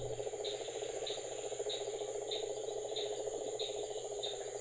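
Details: Male cane toad calling from atop an incubating Burmese python in Florida to reach as many females as possible; a steady, pulsed low trill runs throughout, with short high insect chirps repeating about every 0.6 seconds and a constant high hiss.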